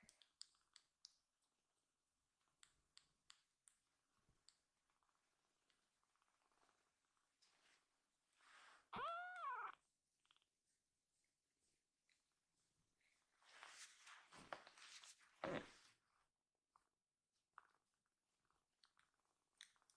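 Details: A rescued foster kitten named Akuro cries loudly and suddenly, then kneads with its paws and quiets once held gently. One strong arched, harmonic meow sounds mid-clip, followed by rustling bursts and scattered soft clicks in a small indoor room.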